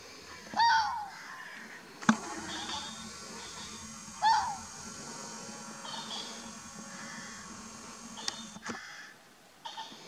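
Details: Fox at Chapmans Pool, Dorset, recorded 7 June 2016, giving short hoarse barks spaced several seconds apart, with clicks and handling knocks and a faint continuous background rumble.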